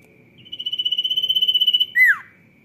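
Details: Sirtu cicada in energetic 'rock n roll' song: a bright, ringing, rapidly pulsed whistle-buzz of about a second and a half, then a short louder squeal that drops steeply in pitch, above a constant faint high tone.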